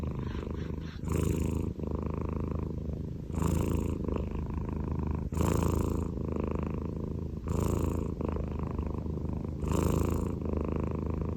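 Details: Scottish Fold cat asleep and snoring, a constant low throaty rumble broken by five brighter, rasping breath surges spaced about two seconds apart.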